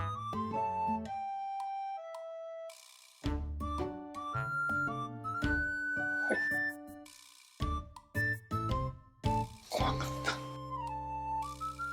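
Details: Bright, tinkling children's music with chime-like melodic notes and bursts of percussion plays throughout, with no animal voice present.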